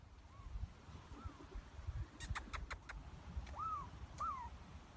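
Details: A Douglas squirrel (pine squirrel, chickaree) on the Pacific coast of North America gives its 'Pillillooeet' alarm call, arched whistled notes and a quick burst of sharp clicks, scolding and warding off the person filming.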